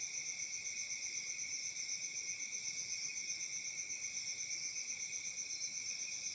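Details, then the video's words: Crickets chirping through a calm summer night in Africa, a dense, high, ringing trill pulsing steadily about four times per second, with nothing else standing out. "Crickets Chirping sounds at Summer Night"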